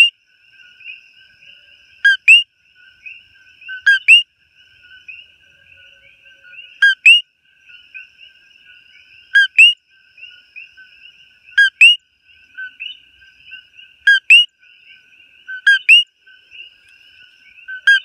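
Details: Close up in Hawaii, a coqui frog gives its loud, sharp two-note 'co-qui' call, repeated every couple of seconds.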